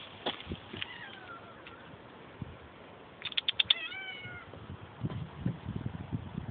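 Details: A pet cat meowing indoors: a short mewing call, then a burst of several rapid notes followed by a falling, drawn-out meow with a second voice overlapping, soft background noise.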